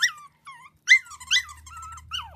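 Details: Havanese puppies in a litter giving high, whining whimpers and yips, each call sliding down from a sharp peak in short separate bursts with brief silences between them, indoors.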